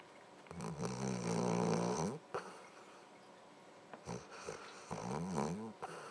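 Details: Luke, a pet dog, snoring in his sleep: two long, rasping, buzzy snores, one lasting nearly two seconds and a shorter one about a second long, with a brief snort between them in a quiet room.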